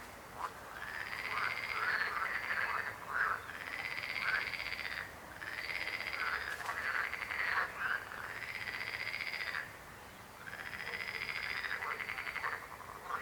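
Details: Frog croaking in long trilled bursts of about two seconds each, separated by short pauses, the pulsed rattling call repeated several times with other croakers softer in the background.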